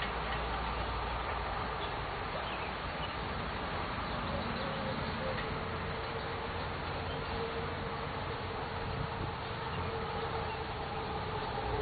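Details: Honey bees buzzing during a hive inspection on June 11, 2011: a dense, steady hum with a faint higher tone running through it and no breaks, filling the whole stretch.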